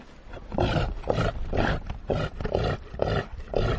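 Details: Reindeer giving a steady run of deep, hoarse grunts, roughly two each second, rough and breathy with a strong low rumble throughout.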